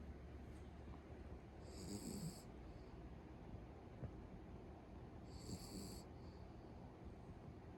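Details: Sleeping pet Beagle snoring at home, a soft rasping breath sounding roughly every three and a half seconds over low background rumble.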